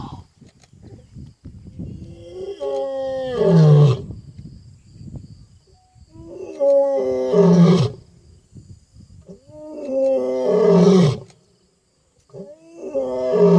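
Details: Wild African lion roaring into the night during an African safari: four loud, rough roars spaced several seconds apart, each rising from a groaning start to a powerful deep bellow, with soft rustling between them.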